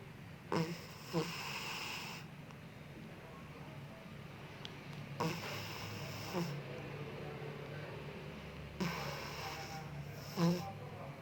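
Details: A sleeping Bengal cat snores, with soft breathy rasps returning every three to four seconds over a quiet indoor hum.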